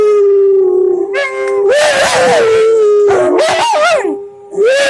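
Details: Dogs howling and singing along with music: long sustained tonal howls that waver and rise in pitch, several voices overlapping in bursts, then a brief lull before another rising howl.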